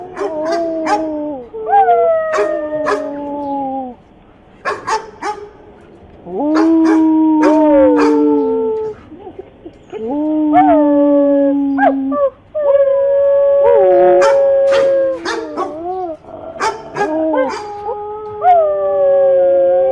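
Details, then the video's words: Dog giving a long series of loud drawn-out howls and yowls, each lasting one to two seconds with sliding, wavering pitch, broken by short sharp barks and yips between them. "Dog barking"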